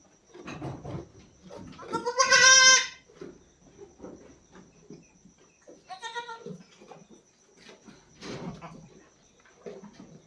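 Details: Domestic goat at a farm where a doe has just given birth to a kid of about three and a half kilograms; one loud, harmonic, wavering bleat near two seconds, then shorter bleats around six and eight seconds over faint background noises.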